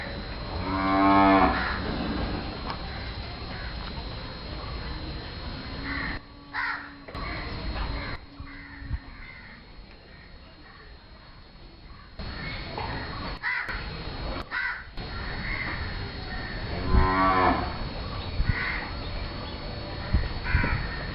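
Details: Thari or Mewati bull giving its mating sound during courtship, likened to a jeering bird: a loud, strained, harmonic-rich call bursts out near the start and again about fifteen seconds later, with low rumbling background noise between.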